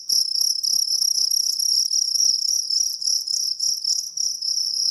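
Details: Jangkrik kalung cricket giving a loud, continuous high trill in rapid pulses, a bright main tone with a fainter overtone above, steady throughout with faint low knocks beneath.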